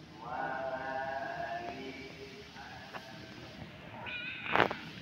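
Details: Kitten with a spoiled-sounding voice: a long, drawn-out harmonic meow over the first second and a half, a softer short mew near three seconds, then a brief higher-pitched meow at four seconds alongside a sharp click.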